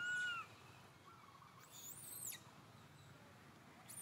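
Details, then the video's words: Young monkey Santo cries to mother Sara for milk: a brief, loud, level whistled wail opens the moment, followed by high sweeping chirps from birds and soft outdoor ambience. "Little Monkey SANTO feels sad and cries so sadly call Mama SARA came to take care of him"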